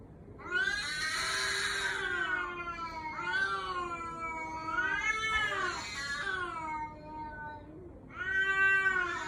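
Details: Cat meowing with cries likened to a human baby's voice: long, wailing harmonic meows, drawn out and wavering, four calls in succession with short pauses, the first and loudest lasting over a second, in a quiet setting.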